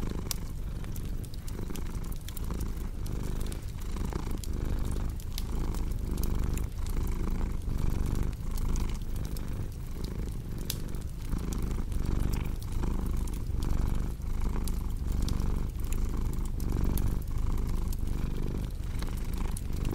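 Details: Continuous deep cat purr pulsing in regular inhale and exhale surges roughly every second, with frequent crackling clicks from a cozy fireplace throughout.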